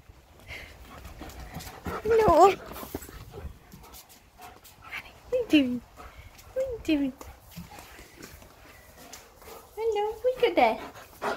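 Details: German Shepherd dog greeting its owner, giving high, wavering whines and squeals that rise and fall in about four short bursts, with a person talking encouragingly in between.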